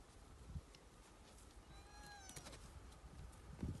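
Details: A white rhinoceros calf gives a brief, thin, high whine that slides slightly downward, communicating with its mother.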